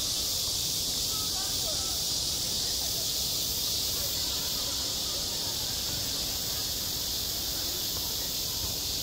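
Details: A cicada's ceaseless high shrill buzz fills a summer school playground, level and unbroken for the whole stretch, with soft low background rumble beneath.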